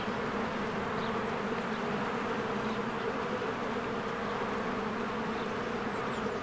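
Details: Honeybees in spring flying in and out of their hive among blooming flowers, a dense continuous buzzing drone with steady bands around the low-mid range, many bees at once, faint high chirps of birds above.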